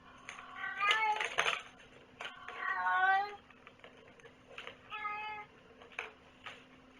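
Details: Cat meowing loudly at close range, drawn-out wavering meows followed by a shorter steady one, interleaved with human speech and knocks in a small room with background hum.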